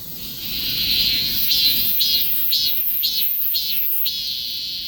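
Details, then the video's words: Cicada singing, recorded on a Galaxy S24 Ultra phone: a loud, high, shrill buzz that holds steady, then swells into rhythmic pulses about twice a second through the middle before settling back into an even drone. "매미 울음"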